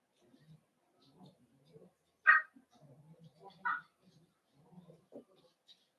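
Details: Cavalier King Charles Spaniel puppies indoors during a socialization session with grown dogs: two clear, high yips a second and a half apart over low murmuring voices and faint shuffling.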